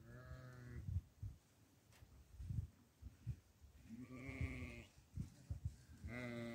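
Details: Goat being fed barley, giving three quivering, nasal bleats spaced a few seconds apart, with soft thuds and rustling of feeding between them.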